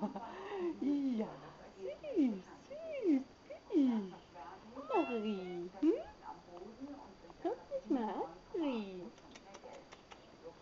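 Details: Persian-mix female house cat filmed in a dim room, giving a run of short, soft mews, each bending downward, about one per second, with a steady faint electronic whine in the background.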